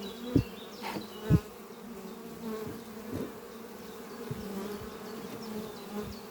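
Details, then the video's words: Honey bee colony at hive Doppio on a spring morning, workers flying close with pollen loads. A deep, steady hum is broken by several dull thuds, with occasional louder passes of buzzing near the listener. "sound of bees flying at beehive Doppio on a spring morning"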